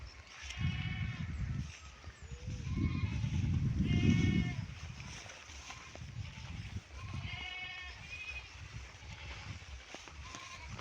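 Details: Raised goats bleating at dusk in light rain as their keeper approaches with fodder; several nasal, quavering bleats, each about a second long, spaced across the recording, mixed with heavy low rumbling and rustling close to the recorder.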